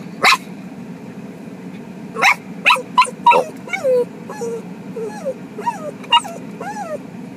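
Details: Two pet dogs in Japan, excited while their family's mother is away visiting her parents; sharp barks break out, then a run of high, bending whines rising and falling between short yelps, over a steady low hum.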